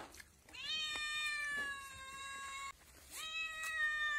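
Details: Young cat crying out in a long, level meow of about two seconds that sags slightly toward its end, then a second strong meow starts after a brief pause; faint clicks in the background.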